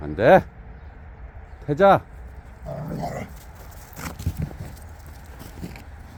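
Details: Jindo dogs on a free walk: two loud, sharp barks about one and a half seconds apart, each rising then falling in pitch, followed by quieter human speech and faint rustling.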